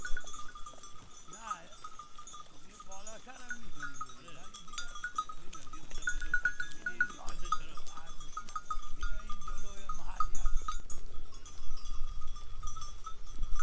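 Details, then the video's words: Sheep in a mixed herd with goats, led by a shepherd above the clouds on a foggy day in a quiet village area of Gilan, Iran; several wavering bleats rise and fall over steady ringing bells, with low wind rumble. "Relaxing Sound of Sheep Bells in a Herd of Sheep and Goat in Mist"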